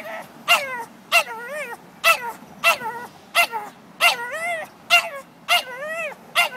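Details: A pet dog throwing a tantrum on a Sunday walk through Old City after spotting a horse-drawn carriage a block away: sharp high yips alternating with rising-falling whines, roughly one burst every half second, steady and insistent.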